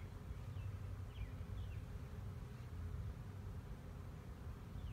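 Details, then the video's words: Honey bee swarm recorded in 2019, a dense low droning hum of many bees held steadily throughout, with a few faint high chirps from distant birds above it and no voices. "Honey Bee swarm"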